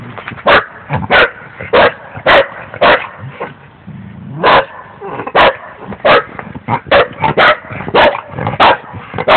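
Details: A dog named Scooby barks rapidly and insistently, about twenty quick, clipped barks with an uneven rhythm and brief pauses, over a faint low background hum.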